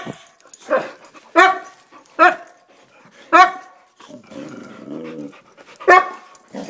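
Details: Vocal Boxer dogs, all pumped up, let out loud irregular barks every second or so, some hoarse and harmonic, with a low growling whine in between and a final sharp bark indoors.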